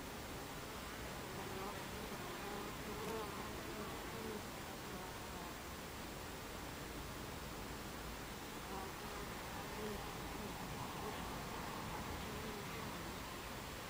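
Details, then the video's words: Many Buckfast bees crowding a beehive entrance on a July afternoon in 2013; steady broad humming drone throughout, with occasional brief tonal whines of bees flying close. "Beehive Entrance Buckfast Bees"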